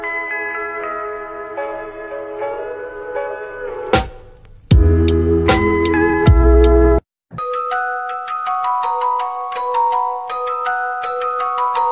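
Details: Bright music of glockenspiel- and xylophone-like chiming notes plays in sections broken by short gaps, with no animal sound.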